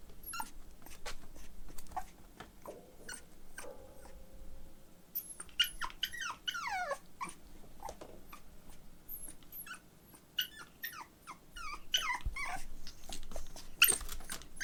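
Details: Male Pomeranian puppy at home, brought in October 2021, whimpering in bursts: short high squeaks and thin falling whines, with clicks and soft rustling between calls in a small room.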